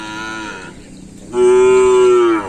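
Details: Cattle at a full training session at the Asemanis track in Pamekasan, preparing for a kerapan sapi bull race event. A short low moo at the start, then a long, steady, loud, drawn-out moo with rich harmonics, ending with a brief rise.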